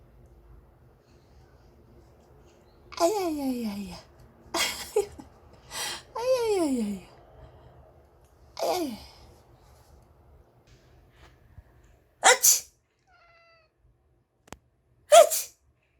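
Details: Indoor house cat Paldong-i cries in answer to its owner's sneezing: a string of four falling, moaning meows, each sliding from high to low, followed by sharp sneeze-like bursts near the end.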